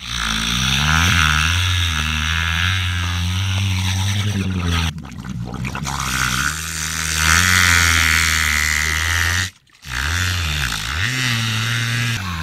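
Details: Young orca playfully imitating a boat engine: a loud, sustained droning buzz built of stacked low harmonics, wavering slightly in pitch, broken by two short gaps and sliding briefly near the end.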